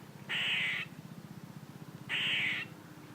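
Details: Two harsh, buzzy squirrel calls about half a second long and nearly two seconds apart, over a low, steady pulsing hum.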